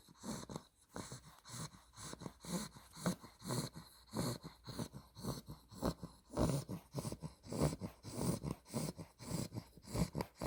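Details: Two-month-old Olde English Bulldogge Spaghetti, a female with an exotic blue merle tri coat, snores in her sleep. Low grunting, groaning breaths come just under twice a second, some with a faint growly rattle, in a steady rhythm.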